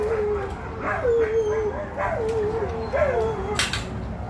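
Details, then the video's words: Puppies howling together at an animal rescue: wavering, mournful mid-pitched howls that swell with a rising bend and then waver and sag, roughly once a second, voices overlapping; a brief sharp clatter near the end over steady background hum. "Howling dogs"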